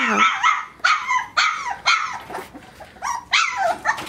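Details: Puppies aged three weeks and five days, getting their first taste of puppy mush food indoors, give a string of about eight high, harmonic yelps and whines. Several slide downward in pitch, coming in uneven bursts over four seconds.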